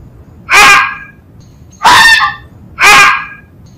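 A fox gives three loud, harsh, raspy yelps, each about half a second long and spaced a second apart.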